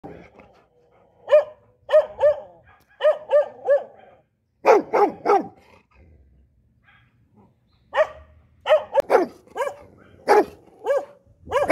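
A Rottweiler barks in deep, forceful bursts, often in quick runs of two or three.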